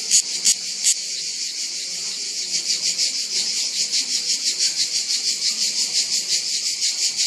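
A cicada sings a loud, high buzzing trill that pulses steadily several times a second.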